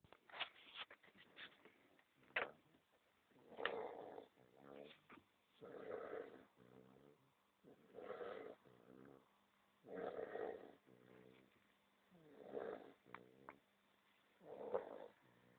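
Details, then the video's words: A sleeping dog snores indoors in a steady rhythm, one cycle about every two seconds: a rasping, noisy breath followed by a fluttering, stuttering exhale with a pulsed buzz, quiet pauses between cycles. "Dog Snoring"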